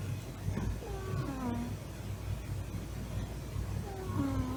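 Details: Large, fluffy male Norwegian Forest Cat weighing nearly 7 kg, sleeping belly-up and deeply relaxed. Two soft, drawn-out snoring squeaks slide downward in pitch, the second breaking into a short questioning note, over a steady low indoor hum.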